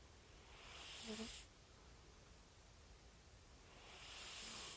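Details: Calico cat, a rescue, snoring: a long breathy rasp with a brief low whistling note, followed by another slow hissing breath beginning at the end.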